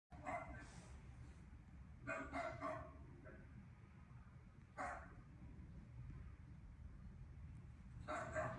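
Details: Miniature Dachshund in Auckland, New Zealand, barking while fixated on a TV screen indoors: four short, sharp barks spaced about two seconds apart over a low steady background hum.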